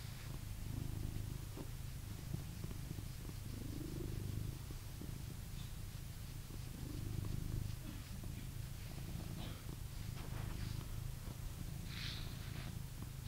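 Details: Purring blue British Shorthair cat indoors in England: an even, low throaty rumble rising and falling with each breath, roughly every three seconds, plus light scratching and rustling sounds in the background.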